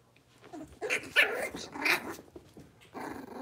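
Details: Blenheim Cavalier King Charles Spaniel puppies, six weeks old, litter of five kept in an indoor puppy pen. Harsh, rough growling barks in a few short bursts, with quieter gaps between them in a small room.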